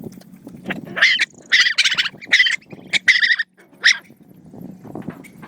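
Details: Hungry dogs being fed. A run of five or six sharp, high yelping whines comes in quick succession over a low, steady hum.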